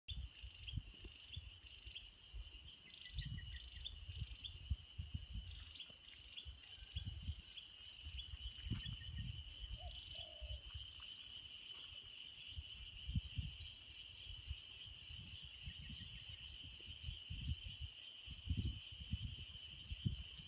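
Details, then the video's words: Crickets calling at 9:00 a.m. in Nam Nao, Phetchabun, Thailand, in a tropical climate: a steady, unbroken high-pitched trilling drone in several layered bands, with low gusty rumbles of wind and a few faint, brief bird notes. "Cricket Sound At Namnao, Phetchaboon, Thailand"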